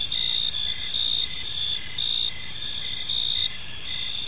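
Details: Evening park crickets: a continuous high shimmering chorus, with brighter chirp bursts recurring about once a second over a faint low rumble.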